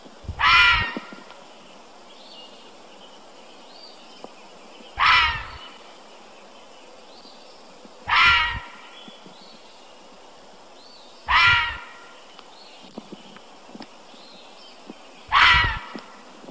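A fisher gives harsh, raspy screeching calls, each under a second long, repeated every few seconds.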